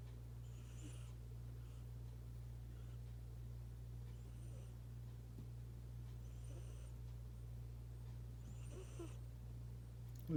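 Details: A house cat snores, her breaths turning suddenly loud: soft hissing exhalations recur every two seconds or so, growing a little stronger near the end, above a continuous low hum.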